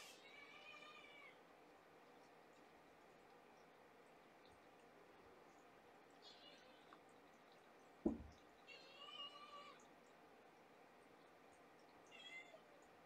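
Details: Domestic cat kittens, two female and three male, born September 24th, crowding and climbing over their 1.5-year-old mother Sweetie Pie indoors; several short harmonic meows at intervals, a sharp bump near the middle, steady room hum beneath.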